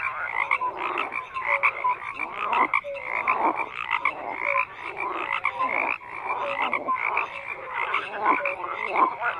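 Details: A continuous frog chorus of overlapping croaks, raspy and pulsing, interspersed with brief tonal notes; intensity rises and falls every couple of seconds without any quiet gap.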